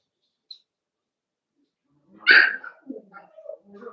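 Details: Indoor pen of playing Cavalier King Charles Spaniel puppies: after near silence a single sharp yap breaks out, followed by a string of soft whining and grumbling noises.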